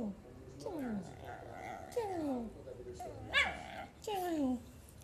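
A Shih Tzu puppy gives a string of thin, falling whimpers, each sliding down in pitch.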